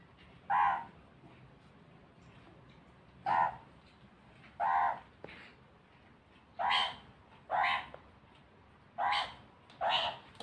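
A meerkat gives short, harsh, raspy calls repeated at uneven intervals of one to two seconds.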